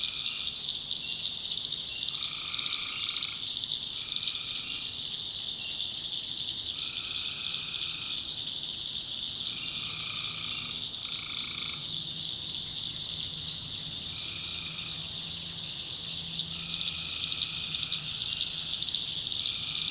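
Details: Night chorus of tree frogs from a swamp in the North Carolina backwoods, a steady high trilling wall of sound overlaid by frequent short, double-toned bursts, some in quick pairs, spread through the whole stretch.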